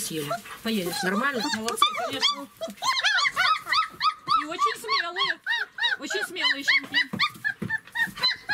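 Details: German Shepherd puppies, 26 days old, at feeding time in Odesa, Ukraine: a rapid chorus of high, arching yelps and whines, several per second, with a voice talking at the start and laughter.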